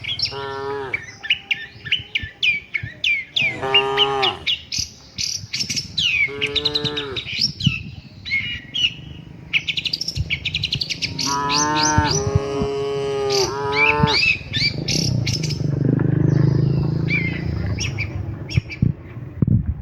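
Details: Docile cows travelling together to the shed, calling in turn: several wavering moos, the longest near twelve seconds, mixed with constant chattering birdsong and a low rumble of movement toward the end.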